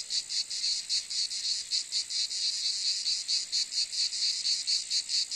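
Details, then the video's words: Cicada producing a hissing, high buzz swelling in beats roughly four per second, evenly spaced, with no other animals or background sounds. "Cicade geluid / Zikaden sound / Zikaden zirpen / Cicada sound effect"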